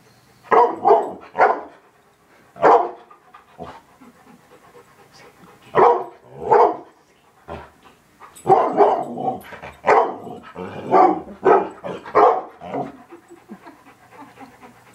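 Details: Dog barking at a television indoors: sharp broadband barks, singly and in quick pairs and bursts, with a dense run of rapid barks in the second half and quiet pauses between volleys.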